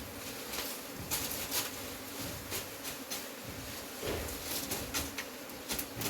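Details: Honey bees droning as their hive is removed, a steady low hum running throughout, broken by sharp scraping clicks and knocks from the work.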